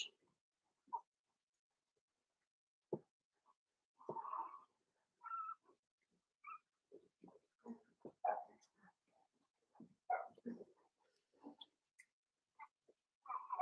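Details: Five-week-old Cavalier King Charles Spaniel puppies in Daisy's puppy pen, giving scattered soft whimpers and short squeaks at irregular intervals, with quiet pauses between them and a brief cluster of yips near the end.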